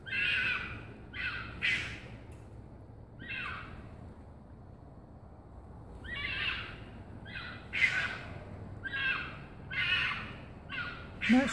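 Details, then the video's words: A fox making harsh, hoarse screaming calls in short bursts, each lasting under a second, given in irregular clusters with pauses of a few seconds, over a low steady background hum. "Fox being a Fox making foxy noises"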